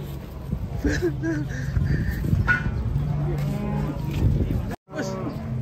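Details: Enraged cow tumbling down while being unloaded from a truck, lowing in deep, drawn-out moos with steady harmonic overtones. People talk in the background, and the sound cuts out briefly near the end.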